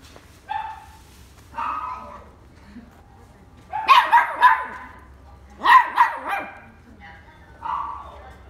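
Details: Dog at a pet shop giving short yelping barks, some single and some in quick pairs or triplets, spaced a second or two apart, with a faint low hum behind.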